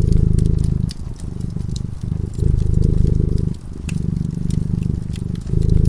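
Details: Cat purring while sleeping in front of a crackling fireplace: a deep, rumbling purr in alternating breaths about a second long, separated by brief lulls, with sharp fire crackles and pops throughout.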